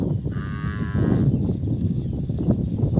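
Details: A calf cries for its missing mother with a single high, strained bleat lasting about a second, followed by low rumbling and rustling handling noise.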